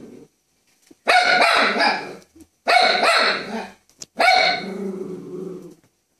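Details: A Fox Terrier reacting to the TV with three drawn-out, strained barks about a second long, spaced roughly every one and a half seconds, the last trailing into a lower growly tone.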